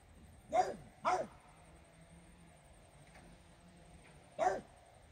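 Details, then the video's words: Regis, a French Bulldog, barks at fairies inside a small room; two short barks in quick succession, a pause of about three seconds, then a single bark. "barking at fairies"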